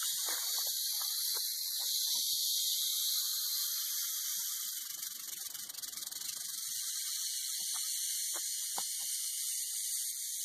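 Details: Continuous high sizzling rattle of a western diamondback rattlesnake, held steady for ten seconds, with scattered low knocks and clicks beneath.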